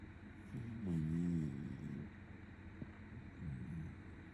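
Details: Sleeping Shiba Inu, stroked by hand, gives a deep buzzing snore lasting about half a second, then a softer, shorter rumble near the end, with faint background hum between breaths.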